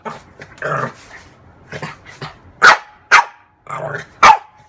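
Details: Female French bulldog playing with her mirror image, opening with a low rumbling growl, then three loud, clipped barks, each preceded by a short grumble.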